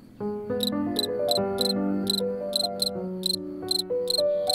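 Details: A male cricket found in a yard, singing along with a nature-inspired piano composition. Short bright chirps repeat unevenly about three times a second, heard over sustained, louder piano chords and melody.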